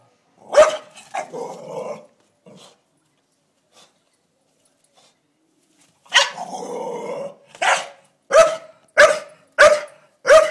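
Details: Doza, a Staffordshire Bull Terrier, confronts a blue-tongued lizard she treats as an uninvited guest: a sharp bark, rumbling growls, a quiet gap, then a long snarling growl and five loud barks about a second apart.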